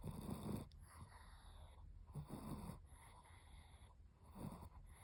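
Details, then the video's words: A sunbathing Chihuahua snores; three raspy, snorting inhalations arrive about two seconds apart over a low, rumbling background, with a faint continuous high-pitched tone. "태닝하면서 코골이하는 치와와"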